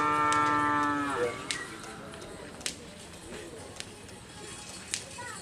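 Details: Madura cattle during karapan sapi bull race training at the Asemanis field on Madura, East Java, Indonesia: a loud, steady, harmonic moo fills the opening second and then breaks off, followed by crowd chatter and sharp clacks.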